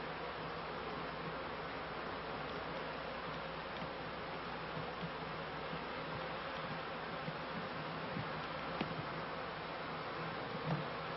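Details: Honey bees from a managed hive, late 1995 to early 1996, flying high to collect pollen; an unbroken hum of many wings drones throughout with faint scattered ticks.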